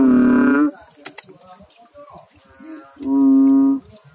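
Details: Deep, steady drone of a frog in water opens and closes the stretch, separated by quieter rustling, faint clicks and a weak lower call in the middle.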